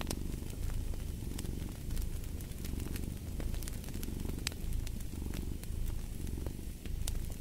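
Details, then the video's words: A cat purrs in a deep, even drone, pulsing gently with in and out breaths, while a fireplace crackles and snaps with bright, irregular pops. "Fall asleep to the Purring of a Cat & Fireplace"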